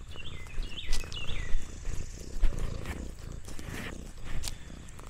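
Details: Orange tabby cat Lexi resting on a countryside farm, purring in a deep, pulsing rumble that throbs continuously; a few quick bird chirps flutter near the start.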